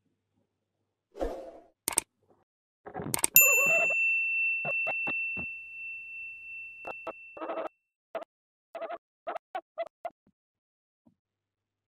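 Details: A few knocks and clatters, then a clear bell-like ding that rings for several seconds, followed by scattered soft taps and thumps; no animal calls.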